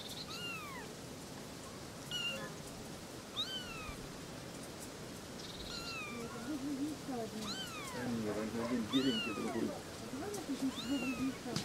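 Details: Three little kittens talking, with frequent overlapping high kitten meows, arched and falling, joined later by lower murmuring voices in a busy background.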